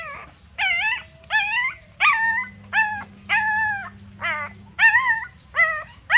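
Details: Frightened puppy calling its mother for help: high, arching whines with bright harmonics, repeated in a loose series of about ten cries, each under a second, some wavering or dipping at the end; faint steady low hum beneath.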